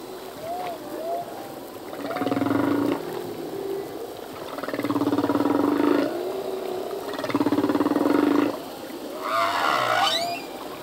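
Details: Male humpback whale singing a full-length song in the ocean, songs changing yearly with newly learned phrases: pulsed moaning units repeated in bursts about every two and a half seconds, with rising and falling whistled swoops between them.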